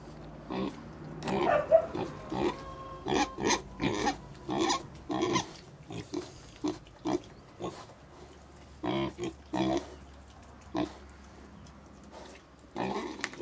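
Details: Little pigs in China giving a run of short, broadband grunts and squeals, repeated in uneven bursts about every half second to a second, with brief pauses between groups.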